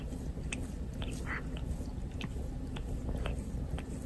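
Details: Indoors, a domestic cat keeps grooming its owner, licking with a rough, painful tongue. Crisp scraping licks and wet smacking ticks come every half second or so above a low steady hum.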